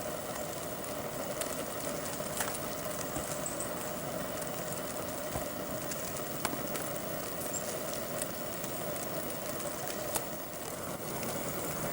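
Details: Steady broadband rushing noise like wind or distant traffic, with a few faint ticks and no clear animal calls.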